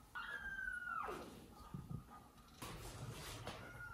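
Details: Domestic cat in a home where mother cat Jaco cares for her newborn and foster kittens; one long, level meow that falls sharply at its end, then soft thumps and a second short tonal meow near the close.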